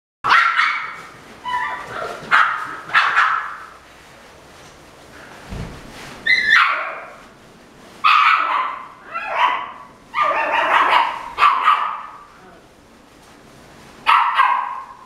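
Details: Female red Toy Poodle born February 2017, kept at a pet shop, giving a series of high, yappy barks in short bursts separated by pauses, some with a whining edge.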